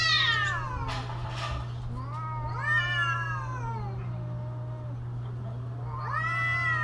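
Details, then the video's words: Caterwauling cats in mating season: a falling wail, then drawn-out rising-and-falling yowls that trail into low moans, another wail starting at the end, over a persistent low hum. "creepy Cats Talking"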